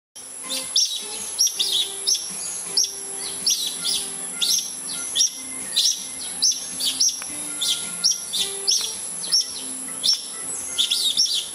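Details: Palawan red-tailed tree squirrels, a family of at least several animals in a bamboo grove, kicking up a fuss, possibly at a predator near their nest; sharp high chirping calls repeated rapidly and irregularly, about ninety per minute, with a steady high background hiss.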